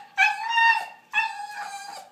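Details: Charlie, a talking pet dog asked whether it wants chicken or hamburger, gives two clear, sustained howls. Each lasts under a second, with a high steady tone and a slight break between them.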